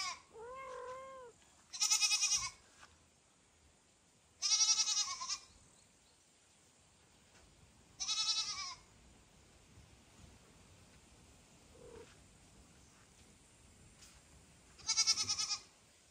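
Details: Domestic kittens calling loudly to their mother cat Kira, with foster kitten Ginny and kitten Leo nearby; four loud, harmonic, bleating cries about half a second long come at irregular gaps, after a softer opening mew, in a quiet indoor setting.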